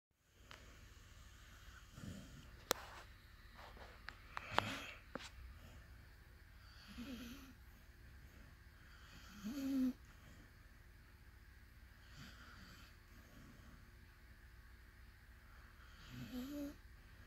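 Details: Ali, a sleeping pup, snores softly indoors: raspy, breathy snorts every two to three seconds, some fainter than others, over a quiet room hum with a few small clicks.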